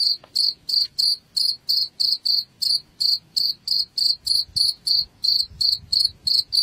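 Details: Cricket chirp played as a rat repeller at home: a steady train of bright, high-pitched ringing pulses, roughly three each second, with soft low background noise.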